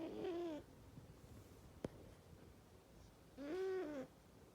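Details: Loud snoring from a sleeping domestic cat: a whistling, arched tone at the start and another near the end, separated by a quiet stretch broken by a single sharp click.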